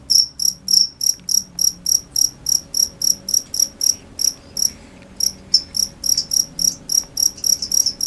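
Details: Cricket chirping in short pulsed chirps about three to four per second, high-pitched and steady, with a brief pause near the middle; faint low hum in the background.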